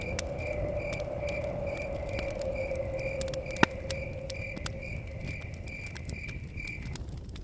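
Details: Forest-cabin crickets chirp in an even, repeated rhythm of roughly two pulses a second, fading out near the end, while a fire crackles with a loud pop and wind blows steadily beneath.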